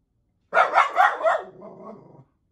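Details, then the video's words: Mini poodle barking at animals on TV: four quick sharp barks in a row, trailing off into a lower, softer growl-like whine. "Mini Poodle DOG BARKING AT TV ANIMALS"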